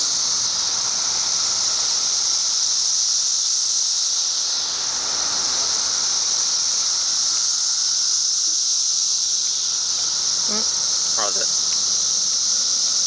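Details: A 17-year brood of periodical cicadas emerges in Chicago, with up to 1.5 million per acre. A massed, steady, high-pitched buzzing drone runs throughout. Near the end, a short burst of quick rattling clicks rises above it.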